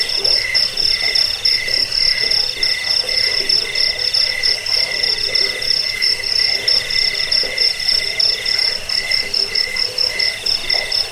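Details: Crickets, offered as a sound to drive away rats, lull to sleep and serve as a master recording for training songbirds: a dense, continuous high trilling with steady pulsing tones layered over one another, no other sounds.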